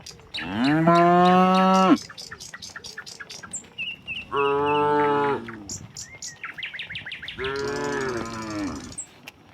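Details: Tame cattle, dozens together, leave their barn for a green pasture in the open air and sun. Three loud, sustained moos with rich harmonics alternate with quick, high twittering from birds.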